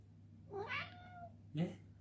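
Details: Ragdoll cat indoors asking for its morning treat, giving a drawn-out rising-falling meow followed by a shorter second meow, while a man talks to it about getting a treat.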